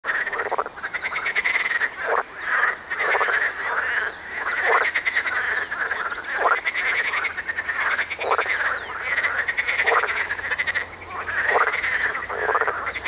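A marsh frog gives loud, rapid, chuckling croaks in bursts, with other frogs calling alongside.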